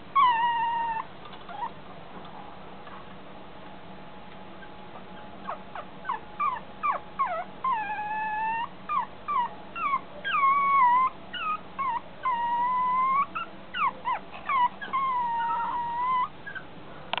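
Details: Blue Chihuahua born 13 April 2013, whining and whimpering in a long run of high, wavering cries, some drawn out and bending upward, others short and yelping, with a steady low hum beneath.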